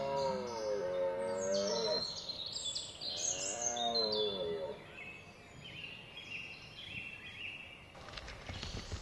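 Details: A red deer stag (Cervus elaphus) gives two deep, drawn-out roars during the rut on 19 September 2010 in Hoge Veluwe National Park, Netherlands, as small birds chirp behind.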